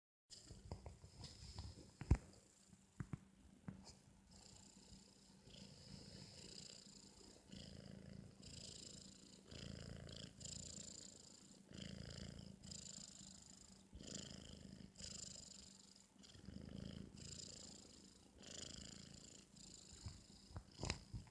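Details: Four-month-old British Shorthair cat snoring loudly while asleep after a meal indoors: soft, breathy rasping snores rising and falling in a steady rhythm about every two seconds, low and rumbling with a hissy edge.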